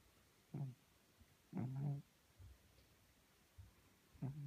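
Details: A sleeping Maine Coon cat in Tolyatti snores in short, low, rumbling bursts. There are two quick snores and one longer, vibrating one, with soft breathing noises between them.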